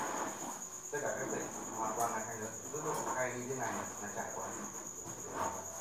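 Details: Farmed crickets calling at night at 8 pm in the Thanh Bình cricket farm during egg collection, a continuous high-pitched shrill drone holding level beneath low conversation and a few sharp clicks.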